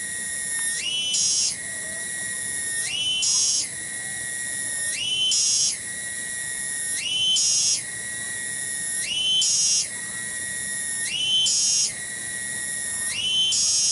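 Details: A single cicada singing in a garden in Kampung Bunder, Cibening village, Bungursari, Indonesia: a steady shrill whine that swells and leaps to a higher buzzy pitch roughly every two seconds, then drops back, repeated regularly.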